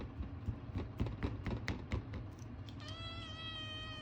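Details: A male Ragamuffin kitten, talkative and demanding toward people, gives a long, clear, slightly wobbling, strange whining meow begging for food, after soft thumps and clicks.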